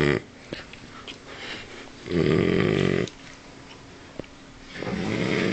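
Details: Sleeping French Bulldog snoring like a man indoors: a faint rasp near the start, then a loud, harsh, rattling snore of about one second, a quieter gap with a click, and another long rough snore building near the end.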